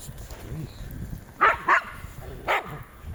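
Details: Jack Russell Terrier barking outdoors: three short sharp barks, two close together then one after a pause, over faint background noise.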